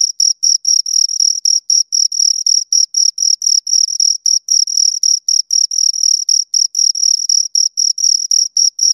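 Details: Two crickets chirping close up: steady high-pitched trilled chirps repeated about four times a second, each pulse buzzy with a higher overtone, over a silent background.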